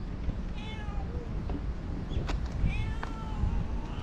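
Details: Talkative stray cat making two soft meows, one near the start and one near the end, each short and gently wavering, against continuous low-pitched background noise outdoors.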